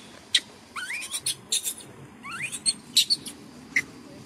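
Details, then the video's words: Pampered little male macaque whistling angrily when he disagrees: short, rising, thin whistled sweeps in two bursts, mixed with sharp clicking and tapping noises. "Look at this pampered little monkey, whistling angrily when he disagrees"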